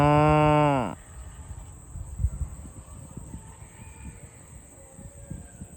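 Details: A cow being herded with other farm cows to the barn gives a loud, deep moo that drops in pitch as it ends.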